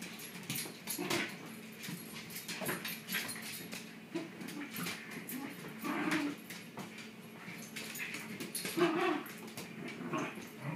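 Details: Shiba Inu dogs playing tug of war inside, with low grumbling growls and soft whines rising and falling throughout, mixed with rustling and scuffling.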